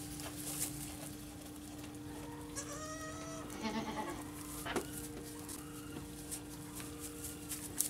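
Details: Baby goats (kids) calling, with a few short wavering bleats around the middle, over a steady low hum and background clatter.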